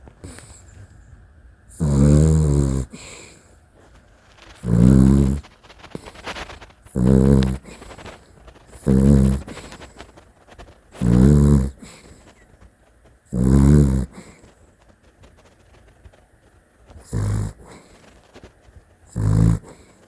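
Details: Sleeping Dachshund snoring with loud, rasping, low rumbles, eight harsh bursts about every two to three seconds, each under a second long, with quiet breathing between them.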